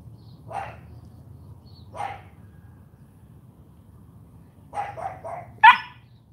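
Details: Charme, a female AKC champion Cane Corso puppy, barking during morning training. Short bark bursts come at about 0.6 and 2 seconds, then a quick run of three barks and a sharper, brighter final bark near the end. Low background hum throughout.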